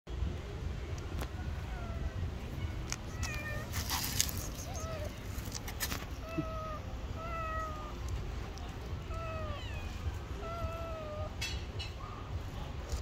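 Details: Hungry stray cat on the street, hugging feet and wanting food, gives a run of repeated meows, some falling and some rising then dropping, spaced every second or so over steady low traffic rumble and brief clatters.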